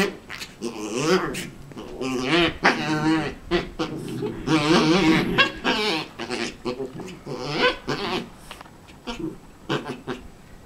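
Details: A Havanese dog whines and grumbles in wavering, talkative bursts, wanting another dog's bone.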